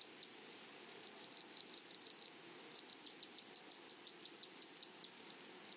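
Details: A grasshopper chirps in a flowery meadow prairie, giving sharp dry clicks about four times per second, steady and evenly spaced, layered over a continuous high, whining hiss.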